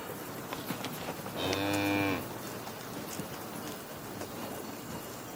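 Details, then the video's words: A single steady cow moo lasting under a second, a flat droning tone with stacked harmonics, set against a low hiss of background noise. "Cow Mooing Sounds"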